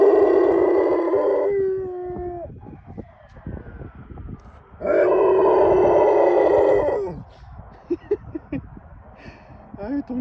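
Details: Golden Retriever named Mungchi, a male born in 2016, howling along with a 119 ambulance siren; long sustained wavering howls that slide and bend, loud siren-like tones, with quieter voices and short yelps near the end.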